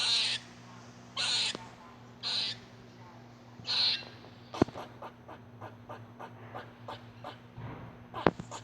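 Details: Squirrel. A squirrel utters several harsh, breathy rasps lasting about half a second each, separated by pauses of one to two seconds. Softer quick chips or ticks follow, over a faint steady electrical hum.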